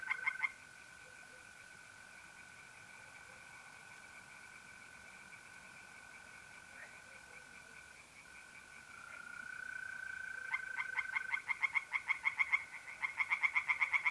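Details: Night chorus at a pond in north-east Italy, mid-April, where a steady high mole-cricket trill runs throughout and tree frogs break in near the end with fast repeated croaking pulses in quick succession, growing louder.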